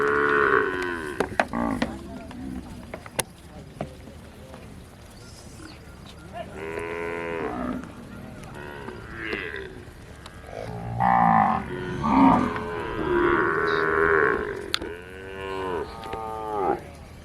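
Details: A desi Kankrej cow from Rajasthan gives deep, drawn-out, harmonic moos in several bouts, wavering up and down in pitch, with quieter background noise between calls.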